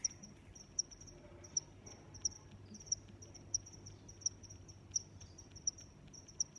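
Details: High cricket chirps recurring evenly, around one every 0.7 seconds, layered over a steady faint trill and soft low ambient rumble.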